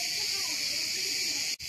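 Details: Many cicadas singing at a pine-forest campsite near Ayvalık on Turkey's Aegean coast; a continuous shrill, hissing buzz holds steady high above a man's quiet talking, with a brief dropout near the end.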